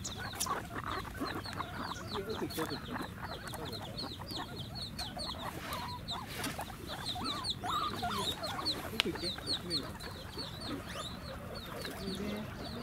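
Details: Many guinea pigs calling for food at Ostrich Kingdom Sodegaura Farm, Chiba, Japan, on 10 December 2018. Continuous overlapping high squeals, each a quick rising hook, pour out nonstop while a person talks quietly beneath.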